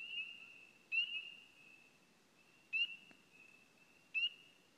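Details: Spring peepers on Signal Mountain near Chattanooga, Tennessee, give clear, upslurred peeps about every second over a steady high, shrill chorus; they favour trees with water and call February through summer, best in early spring.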